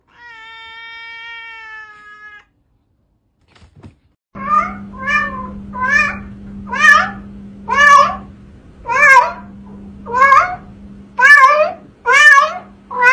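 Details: Domestic cat meowing in a rapid series of short, bent calls roughly once a second, following a steady electronic tone at the start; a constant low hum runs underneath.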